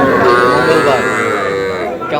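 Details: Cattle at a market in Comilla, Bangladesh, trading small bull and heifer calves; a continuous, rich, droning low moo fills the short stretch, mixed with market crowd noise and talking.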